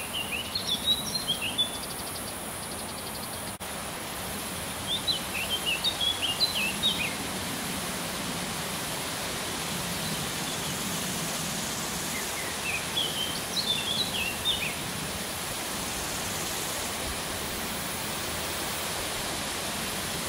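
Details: Two male large marsh grasshoppers (Stethophyma grossum) in the Vendée tick in short bursts of sharp, high ticks separated by long pauses, made by flicking out a hind leg and snapping it shut rather than by stridulation.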